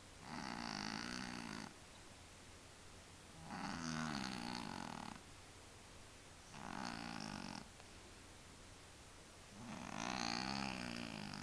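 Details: Snoring from Willy, a tomcat suffering from sinus trouble: four loud, rattling, nasal breaths, each lasting one to two seconds and coming roughly every three seconds, with a steady rhythm and quiet pauses between them.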